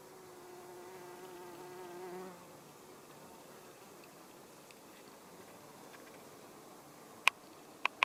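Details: Male hoverfly Cheilosia illustrata, a bumblebee look-alike, gives a steady low humming buzz rich in overtones for just over two seconds, then stops. Quiet background follows, broken by three sharp clicks near the end.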